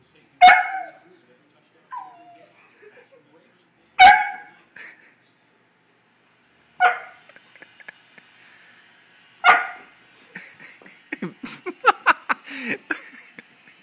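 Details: Husky reacting to a foot massager it takes for a cat, giving short wavering howl-yelps every few seconds, then a rapid run of yips and whines near the end, with a person speaking.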